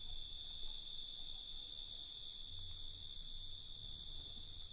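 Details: Night crickets heard as an unbroken, even, high-pitched shimmering trill in stacked bands, with a soft low hum underneath and no other clear sounds.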